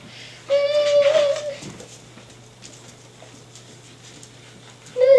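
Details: Staffordshire Bull Terrier puppies from Jenny's litter, five and a half weeks old, indoors. A single high, steady whine lasts about a second, then a quiet gap, with a second whine starting right at the end.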